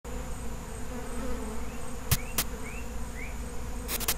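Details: Feral honey bee colony humming steadily with a low, droning buzz; a few short rising chirps and several sharp clicks cut through around the middle and end.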